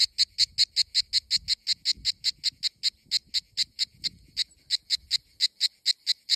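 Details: A cicada in Greece in summer sings a steady, harsh, buzzing pulse, repeated about five times a second.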